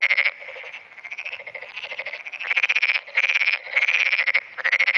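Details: Black-spotted pond frog calling in early morning on 10 June 2009, answering surrounding frogs and calling more often as they join in. It gives rapid pulsed, rattling croaks in bursts of about half a second, with fainter calls from other frogs between them.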